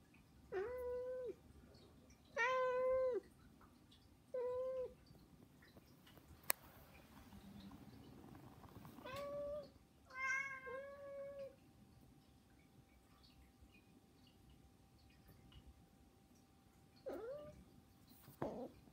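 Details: Begging meows from three pet cats named Saba, Hana and Mizore, which call loudly every day; clear, harmonic meows that rise and fall, some in quick pairs, separated by quiet gaps of several seconds, with no background music.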